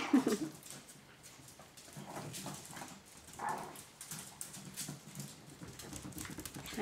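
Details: Chihuahua puppies from the 2012 Mia and Bacardi litter, giving soft, thin, high whimpers in a short burst at the start and a brief squeak a few seconds later, over quiet rustling and shuffling indoors.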